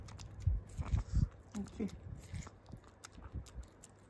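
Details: A Pomeranian eats corn, which she loves, with soft, irregular crunching and smacking chewing sounds while a woman talks quietly nearby.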